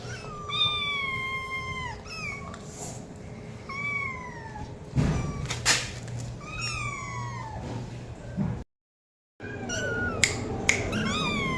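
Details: Domestic cat meowing in a compilation: several high, harmonic-rich meows sliding downward, some rising then falling, spread across the recording, with a brief silent gap near the end and a steady low hum beneath.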